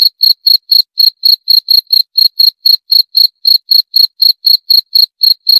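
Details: Crisp, high cricket chirps follow one another at an even rate of about four per second, each a brief ringing pulse, in an otherwise quiet setting.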